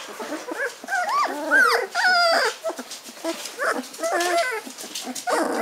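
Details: Hungarian Vizsla puppies, 15 days old with eyes newly open, taking first walking steps; a litter of overlapping high whimpers and squeaky yips, rising and falling wavering cries in quick succession, several pups calling at once.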